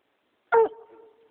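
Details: A dog named Arbor, possibly getting cold feet, gives one sharp bark that leaves a fading tonal echo in a quiet setting.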